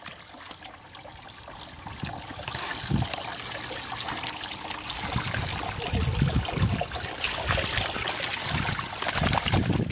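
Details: Outdoors in the Abraham Ledeboerpark in Enschede, the Netherlands, trickling, stream-like water and rustling noise run throughout, with low thuds and faint speech but no animal voice.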